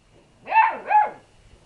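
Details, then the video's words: Lurcher cross puppy, one of a litter getting brave with a calm cat, gives two quick high arched yaps in close succession, loud and clear against a quiet room. "puppies vs cat!"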